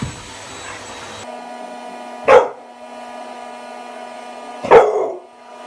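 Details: American Bully puppy, eight months old, with its birthday teddy bear gives two separate short barks about two and a half seconds apart over a constant humming tone.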